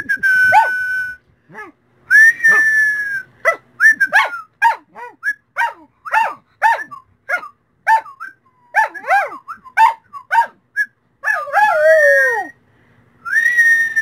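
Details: Singing dog giving a rapid string of short, wavering yelps and whines in broken bursts, pitch bending up and down, ending in a longer falling howl then a sustained high tone.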